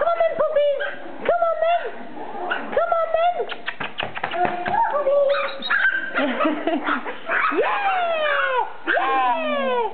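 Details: Border Terrier puppies yipping and whining in short, high, bending cries, several overlapping and repeated in quick bursts, with a woman's voice calling to them now and then.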